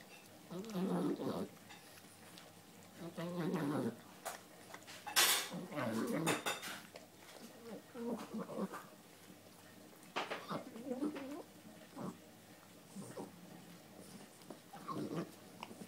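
A Boston Terrier grumbles and snorts in short bursts while eating, with clinks of a dish.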